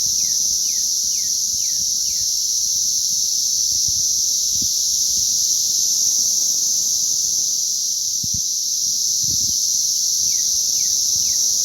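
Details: Cicadas in a mass emergence in May, a dense, unbroken high buzzing drone holding steady throughout, with a bird's quick descending chirps repeating near the start and again near the end.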